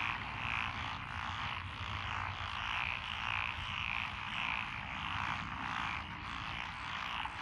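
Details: Chorus of many frogs in lotus rice paddies, Echizen, Fukui, Japan, 12 June 2021; steady overlapping croaks swell and ebb roughly every second beneath a constant droning din.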